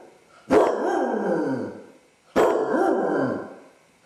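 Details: Basset hound left alone in the house, suffering separation anxiety after its owners go out, caught on a household camera; two drawn-out baying howls, each about a second long, falling in pitch with rich harmonics, separated by a short silence.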